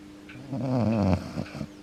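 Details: Akita named Yuki, a pet dog grown older, snoring loudly while asleep indoors with his head resting on his owner's foot; one deep, rasping, buzzy snore swells and fades over about a second, with a steady low hum in the room.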